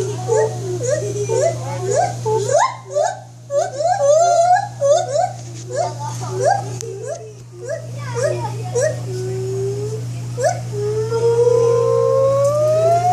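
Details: White-handed gibbon calling in quick, accelerating runs of short rising whoops that break off briefly, then resume as longer, slowly climbing wails. A steady low hum runs beneath.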